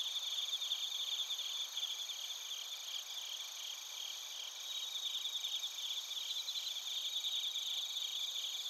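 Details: Chorus of bell crickets and crickets in Narita, Chiba, Japan, taken with a TASCAM Portacapture X8: steady shimmering trills and beaded chirps layered at several high pitches, unbroken throughout, with nothing else audible.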